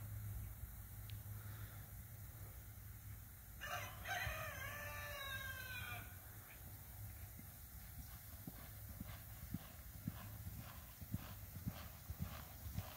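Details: Red roan Appaloosa mare giving a single wavering whinny of about two and a half seconds that falls in pitch, followed by a run of soft, irregular hoof-like thuds over a low steady background hum.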